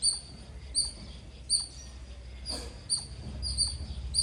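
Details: Squirrel chirps ring out as sharp, shrill single notes, seven in all at uneven intervals, over a steady low hum and a brief rustle midway.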